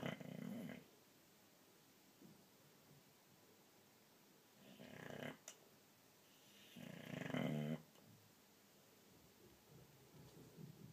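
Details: A sleeping boxer dog indoors snoring loudly, three long rasping, rumbling breaths spaced a few seconds apart with quiet room noise between them.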